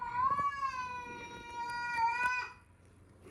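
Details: Female house cat yowling at a newly arrived dog, one sustained droning moan of about two and a half seconds, steady in pitch with a slight dip, then fading to room quiet.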